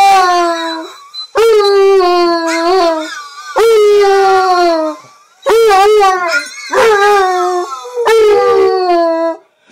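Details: Phil the basset hound howls to his own recording, giving repeated short mournful howls with bent, rising and falling pitch, roughly every two seconds, each breaking off with brief gaps.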